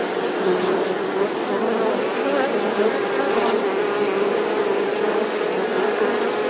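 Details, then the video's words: Steady droning buzz of bees, a rich layered hum that wavers gently in pitch while staying loud and continuous across the whole stretch. "Âm thanh con ong|The sound and picture of the Bee"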